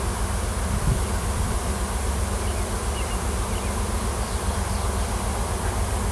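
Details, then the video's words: Crowd of wild honey bees swarming in a tree on a Washington farm, a new queen and her workers seeking a new home; loud, even low-pitched hum of countless bees, constant from start to finish. "Swarm of WILD HONEY BEES & NEW QUEEN"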